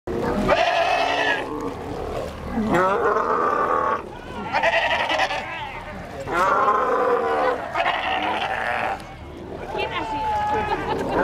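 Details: Wild sea lions at the End of the World, Ushuaia, Argentina, giving goat-like bleating calls: wavering, quavering cries about a second long, repeated every two seconds or so, several overlapping.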